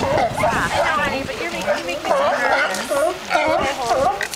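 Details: Sea lions singing and fighting, with repeated dipping, wavering bleats roughly every half second over lower grumbling calls, several animals overlapping in a busy chorus.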